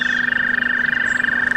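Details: In spring along the Delaware Canal, among daffodils and magnolia trees, American toads hidden at the water's edge give a long, steady, high musical trill of rapid pulses on one even pitch.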